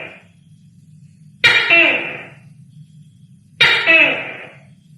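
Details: Gecko calling at night: two loud, harsh, croaking bursts about two seconds apart, each rough and broadband with falling tones inside, over a low steady hum.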